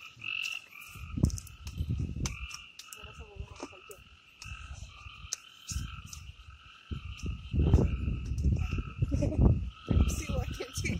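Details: Forest frog chorus in the Amboli hills of Sindhudurg, recorded without music: continuous ringing tonal calls layered together, with scattered sharp clicks and heavy low rumbling thuds that swell and fade.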